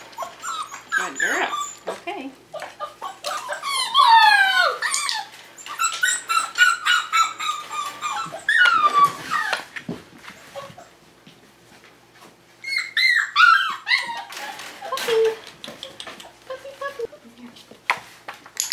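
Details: Indoors, several five-week-old Tamaskan puppies cry out during the Puppy Culture box game: clear, drawn-out whines that slide downward, in bursts separated by short quiet gaps, with occasional human speech.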